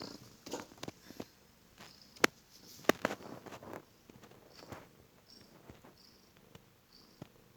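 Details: Heavily pregnant rescued stray cat, five days after rescue, snoring loudly; soft, breathy, rough swells of snoring recur about once a second, broken by sharp clicking noises and faint short high chirps in the background.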